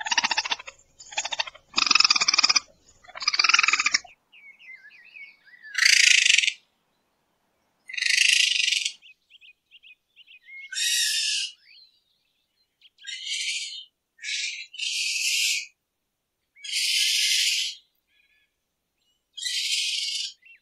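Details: Raccoon sounds at night, said to resemble twirling cotton candy. Harsh scraping bursts open the sequence, then a series of hissy, screechy chitters about every two seconds, with faint thin whistles between them.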